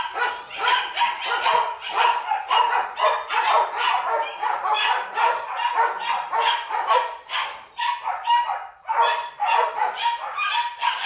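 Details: A female breeding Rottweiler barks loudly and steadily, about two sharp, harsh barks every second.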